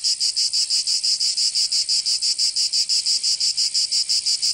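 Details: Provence cicadas singing in summer, southern France: a high, grating buzz pulsing in a very even rhythm of about five beats per second, with nothing else heard.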